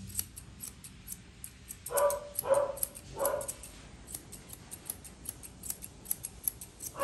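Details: Poodle mix dog barking while being groomed indoors: three short, bright barks in quick succession near the middle, with steady snipping scissor clicks running throughout.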